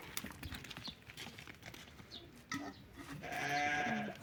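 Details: A ram offered for sale lets out one loud, wavering, nasal bleat near the end, after scattered thumps, rustling and low background noise.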